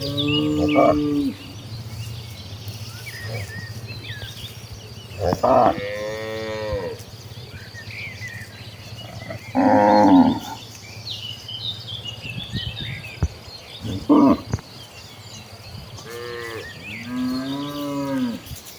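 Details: Village cows moving as a herd toward paddy fields to look for fresh grass; repeated drawn-out lowing calls from several animals, some rising then falling, spaced a few seconds apart, over a steady rural background hum and faint bird chirps.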